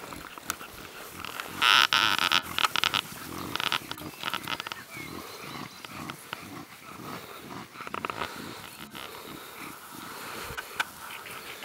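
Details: Playful Staffordshire bull terrier pups, a month and a half old, socialising with adult dogs at a kennel in southeastern France; one loud, strident whine-yelp lasting about half a second, then a busy mix of rustling and faint squeals.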